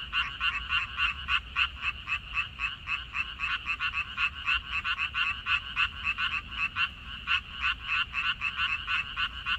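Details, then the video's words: Several frogs croaking together in a water dropwort field on 14 May 2021. Overlapping callers produce dense, uneven bursts of raspy pulses, some clustered, some spaced apart, forming a busy chorus over a faint low rumble. "고향 생각 나게 해주는 개구리 소리, 미나리밭의 그놈들, Croaks of Frogs, Sounds of frogs, Song of frogs"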